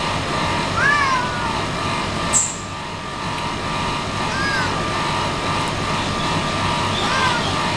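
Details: Pet cat giving three short meows that rise then fall, spaced roughly three seconds apart, over a steady rumble like passing traffic, with one sharp click between the first and second calls.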